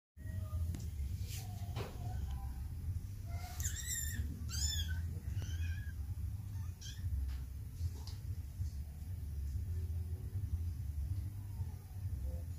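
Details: Domestic cat mother with her kittens, shown with affection; a few short, high-pitched, wavering mews cluster midway, with fainter scattered squeaks before and after, all over a constant low rumbling hum indoors.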